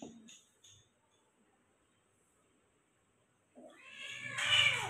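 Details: Persian cat being given a shower, letting out a loud, drawn-out meow rich in harmonics that swells and grows harsher toward the end, after a near-silent pause broken only by a few soft short sounds at the start.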